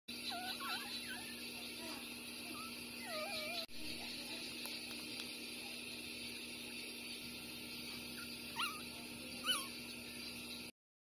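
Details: Six-day-old street puppies Bob and Massy, littermates born the same day, nursing. Thin high whimpers and squeaky whines rise and bend in short wavering slurs, clustered early, with two sharper yelps near the end over a steady background hiss.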